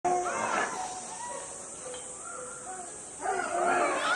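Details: Monkeys at a zoo calling at lunch time as the keeper gets closer: two bursts of shrill, harmonic squeals with rising and falling tones, separated by softer scattered calls, over a steady high hiss.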